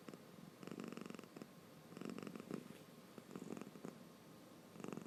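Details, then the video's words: Drowsy pet cat snoring while its eyes stay open, giving low, grainy, rattling breath sounds in short bursts roughly every second, separated by near-silent pauses, indoors with no other sounds. "目をあけながらいびき？する猫 Cat to snoring 코 고양이 猫打呼噜"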